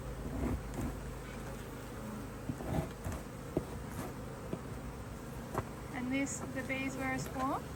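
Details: Honey bees at an Australian-designed Hive IQ beehive, opened to add a box of empty frames in mid-autumn 2023 in Australia during fine weather. A steady droning hum, with one bee passing close in a rising then falling whine, plus knocks and a brief voice.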